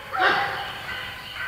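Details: Golden Retriever puppies at play with a shaved Great Pyrenees; one short, bright, high yelp-like bark bursts out at the start, then a softer trailing tone as a faint hum continues.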